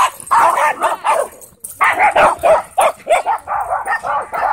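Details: At a dog park a wolfdog wrestles a husky in play, pinning it down; short harsh yaps and growling barks tumble out in quick clusters, with a brief lull near the middle.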